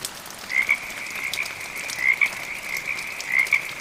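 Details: Frogs heard amid gentle rain: a sustained high trill with emphatic double notes at intervals of about 1.4 seconds, accompanied by light drop sounds.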